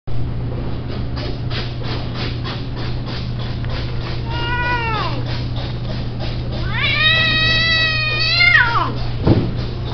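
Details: Himalayan cat offered for sale, giving two long drawn-out meows, the first around four seconds in, the second longer and rising then falling, over a steady low hum and rhythmic background music.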